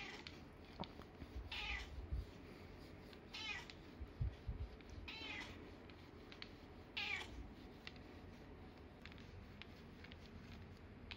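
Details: Fourteen-year-old red tabby Nana meows repeatedly indoors as she tests a cat massage product: four clear, wavering harmonic meows about every two seconds, with faint clicks and a steady low hum behind.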